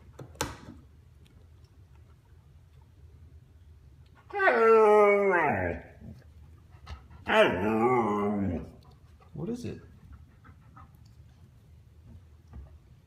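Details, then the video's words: Argento, a one-and-a-half-year-old Husky, uses his vocabulary to win back the attention of younger brother Sasha; two drawn-out, wavering harmonic moans that slide downward, then a shorter grumble, inside a small room. "Chattering Husky"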